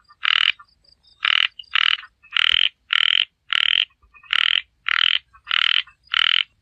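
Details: Small frog croaking repeatedly: loud, rasping notes about two every second with uneven gaps, and a faint thin tone between some calls.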